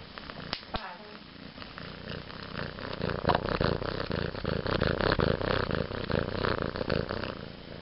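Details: Pityuka, a pet cat, purring indoors on 22.03.2011: a steady, rhythmic pulsing rumble of about 160 beats per minute that swells louder after the first few seconds, with a couple of sharp clicks near the start.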